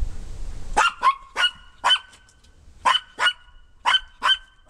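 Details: Harry, a Maltese dog, barks from the deck at LeLe and Stella, two Maltese dogs running in the wet backyard grass, asking them to come back up. The sharp, high barks come mostly in quick pairs, about one pair per second, in a quiet setting.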